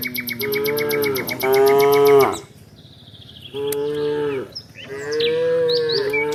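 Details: A tame cow being herded in the afternoon gives long, steady moos, each about a second long, with faint bird chirps in the background.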